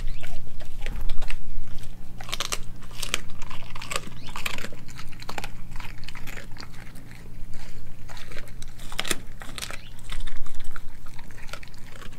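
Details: Raw meals of beef liver, heart, chicken feet, thigh and a homemade raw chicken nugget chewed by Nala, a Kelpie–German Shepherd cross. Sharp crunches and smacking bites recur several times a second with short pauses, against a constant low room hum.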